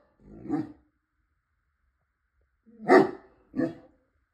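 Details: Pet dog barking at a delivery person: one gruff bark, a two-second silence, then two more deep, short barks in close succession.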